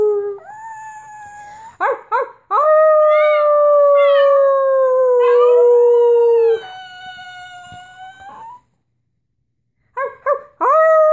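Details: Puppy howling in long, steady, slowly falling tones broken by short yelping notes, with a quiet gap near the end before the howl starts again.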